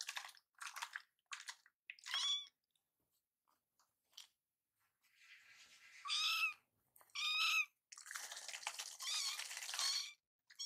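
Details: Rescued foster kittens, two young cats living and playing together like brothers indoors; one has started meowing often since its scab came off. Several short, high-pitched harmonic meows, separated by scratchy rustling bursts and brief quiet gaps.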